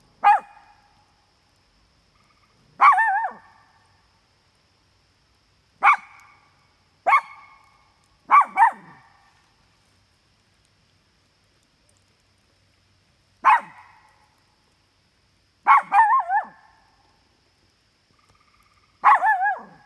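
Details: Pair of dogs at a campsite sounding off at nearby coyotes they can smell; single and doubled barks, some with a wavering tail, spaced irregularly every one to five seconds against near silence.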